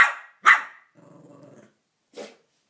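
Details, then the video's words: Cavalier King Charles Spaniel barking at a Minnie Mouse figure for taking his bone; two sharp barks, a brief low rumbling growl, then a shorter softer bark. "Barks at Minnie Mouse"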